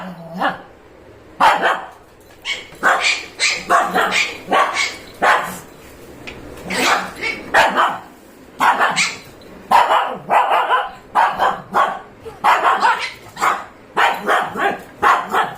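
A Shih Tzu barks repeatedly in short, sharp, high-pitched bursts, sometimes doubled.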